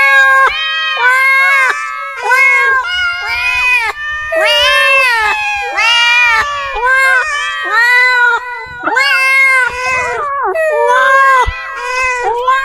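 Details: Cats meowing loudly and continuously, a string of long arched wails and shorter yowls, several overlapping, with pitch wavering up and down.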